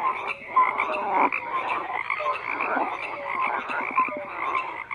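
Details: A frog chorus of continuous croaking, rough pulsed calls overlapping with a few brief clear tonal notes, rising and falling in loudness without pause.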